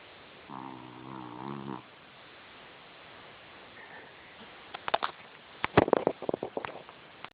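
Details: Puppy asleep, giving one low harmonic snore lasting just over a second near the start. Quiet hiss follows, then a run of sharp clicks and taps toward the end.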